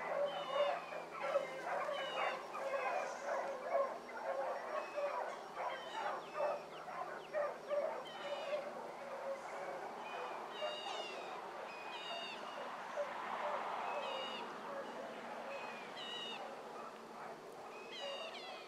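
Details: Pack of young hound pups, Ringo, Mingo and Choco among them, running a rabbit in the morning; overlapping harmonic bays and yips repeat quickly in bursts, more than two per second, steady through the chase, with a faint steady hum beneath.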